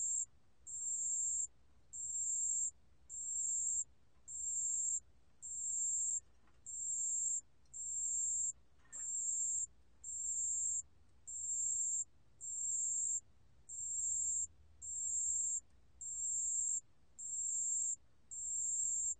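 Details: Pale bell cricket calling in a 2020 National Institute of Biological Resources recording: a long run of short, high, bell-like trill bursts, each under a second, repeated steadily about once a second, with a faint brief click midway.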